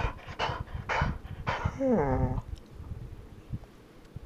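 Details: Golden Retriever kept from her chickens at bedtime, answering a person: a few short huffs, then a drawn-out whining moan that slides downward over about half a second, followed by quiet breathing.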